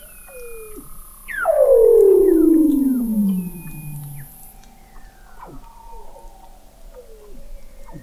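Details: Weddell seals under thick sea ice in McMurdo Sound, Antarctica, recorded in November 2017 by the McMurdo Oceanographic Observatory 21 m below the ice: a loud descending whistle sweeping down over about three seconds, with fainter short downward chirps from other seals around it.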